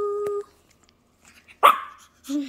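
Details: Toby, a small male Shih Tzu indoors, gives a brief high whine, then after a pause one sharp yappy bark; a person's voice greets him with hello.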